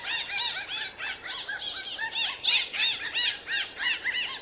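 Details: Real dolphin sound presented in 8D audio: a rapid stream of high arching whistles, several per second, overlapping and rising then falling, with a steady hiss in the background.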